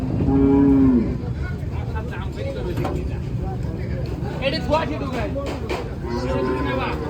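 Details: Cattle unloaded from a vehicle at the weekly Tuesday animal market in Arankola give one loud, drawn-out moo lasting almost a second. Shouting voices, clatter and market bustle follow, with a softer moo near the end.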